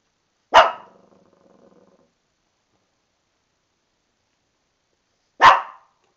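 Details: A female Shih Tzu barking indoors in a bathtub, angry because she knows she is about to be bathed and cannot get out; two sharp, loud single barks about five seconds apart, the first trailing off into a brief echo.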